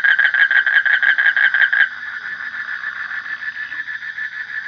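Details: Frog giving a rapid train of loud, harmonically rich pulsed notes for about two seconds. A softer, steadier pulsing call continues underneath to the end.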